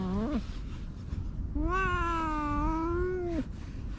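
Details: Stray cats under a bench outdoors, being stroked; a short rising meow, then after a pause a long, steady, drawn-out meow of about two seconds ending in a downward bend, over low background rumble.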